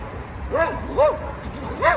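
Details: Border Collie during agility weave pole training, giving three short, high, arched yips about half a second apart, each rising then falling, with faint background noise.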